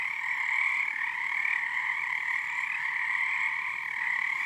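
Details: Frog chorus at night under the first full moon of the season on Harstine Island, Washington, numbers building nightly; a dense, continuous pulsing trill from many frogs, steady and unbroken, with strong resonance bands and a faint higher shimmer.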